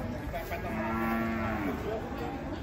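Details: A giant, rampaging bull being unloaded from a truck gives one long, low, droning moo lasting about a second. A steady background hum runs underneath.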